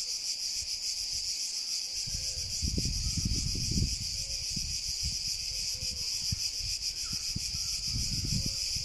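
A cicada sings a steady, high, hissing buzz that drones on without a break.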